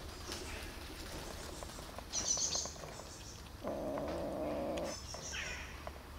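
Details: One of three hungry kittens, a greedy black kitten among them, gives a steady, mid-pitched growling tone of just over a second while eating, after brief high chirps, with soft clicking feeding noises throughout.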